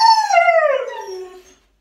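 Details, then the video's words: Siberian Husky in a house, arguing with its owner over a mess; one loud howl starting high and sliding steadily downward, fading out after about one and a half seconds. "Huskies Arguing About Who Made The Mess"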